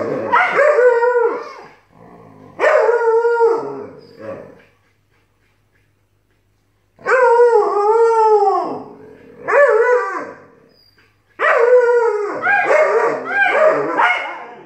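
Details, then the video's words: A Malamute puppy and a Siberian Husky, a long argument turning into howling: strongly harmonic arched howls and yowls in three bursts separated by silences of a second or two, with a brief talky grumble between. "Siberian Husky and Alaskan Malamute arguing!"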